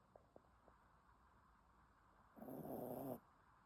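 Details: Dog snoring while asleep: a few faint ticks, then one loud grating snore lasting about a second before silence returns.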